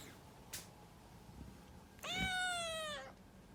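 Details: A pet cat named Puran gives one long, loud meow of about a second, rising slightly and then sliding down, rich and harmonic; a faint click comes earlier over a quiet indoor background.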